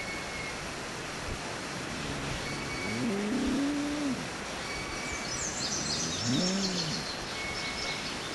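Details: A dog gives two drawn-out, low howls, each rising then falling, a few seconds apart, howling in response to a pet parrot screaming indoors; the parrot's faint high-pitched screeches are heard over steady outdoor background noise.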